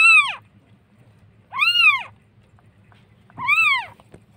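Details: Cat among the street cats of Jakarta, where a mother cat has given birth to kittens. Three clear, drawn-out meows, each rising then falling in pitch, spaced about one and a half seconds apart over a faint low hum.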